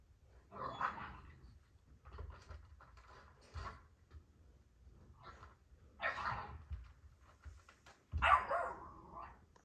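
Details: Kennel dogs, the girls, playing indoors; three loud harsh growling barks spaced a few seconds apart, with quieter grumbles and scrabbling of paws between them.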